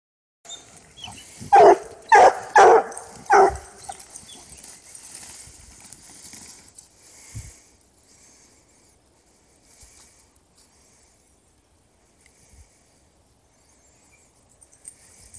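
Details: Hounds smelling a freshly caught coyote for the first time; four loud harmonic barks clustered in under two seconds near the start, followed by faint rustling and quiet outdoor background.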